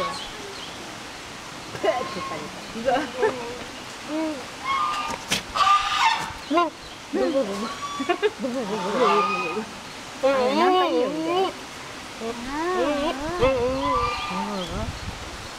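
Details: Agitated male pygmy goat at Ouchiyama Zoo, worked up by one person standing close: a run of wavering, quavering bleats with tremulous pitch, repeated in bursts over the second half, mixed with human voices and outdoor rustle.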